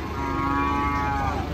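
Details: Raging cattle giving one sustained, steady moo of about a second and a half, rich and droning, over constant background noise with people talking just before and after.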